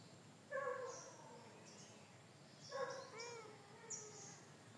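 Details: Orange cat in a rural province setting giving two clear meows, one near the start and another around three seconds, each with stacked harmonics and a falling tail; faint bird chirps and quiet outdoor background.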